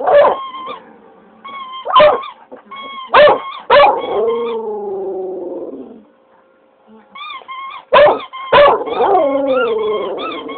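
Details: An English Cocker Spaniel answers a child squeezing a squeaky toy: sharp yelps, then a long sliding howl lasting about two seconds, a pause, and another howl mixed with rapid repeated high toy squeaks.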